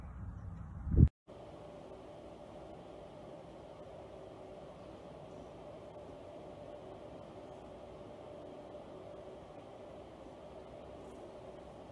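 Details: A short loud thump, then a steady low hum of room or engine noise for the rest of the recording.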